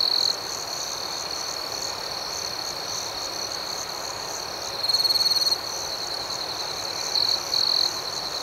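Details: Crickets at night keep up a constant high, ringing trill over soft hiss, with a nearer caller's louder chirp bursts at the start, around the middle and twice near the end.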